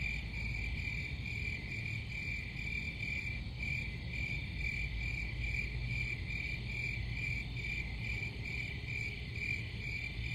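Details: A high-pitched cricket trill pulses gently about twice a second in a loose, uneven rhythm, with faint higher overtones over a steady low rumble.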